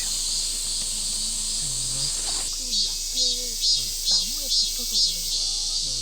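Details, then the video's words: Summer cicadas chorus by a forest campsite at a former branch school in Yecheon, Gyeongbuk, Korea, during a heatwave morning. A loud, unbroken high-pitched drone pulses in rhythmic swells after the first seconds, drowning out people talking underneath. "매미가 우렁차도 너무 우렁차다"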